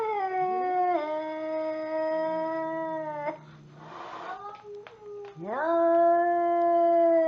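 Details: Angry cat uttering two long, steady, tonal yowls, each opening with a quick upward pitch slide and holding level for several seconds, separated by a brief breathy, noisy gap.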